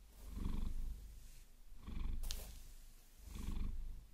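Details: Maine Coon named Vasilisa purring while being massaged with long nails, which she enjoys; a low rumbling purr swelling with each breath about every one and a half seconds, with a sharp nail scratch just after the middle.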